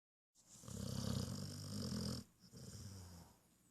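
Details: Sleeping dog recorded June 8th, 2014: one long, rough, rumbling snore of about two seconds, deep and buzzing, followed by a softer, fading breath.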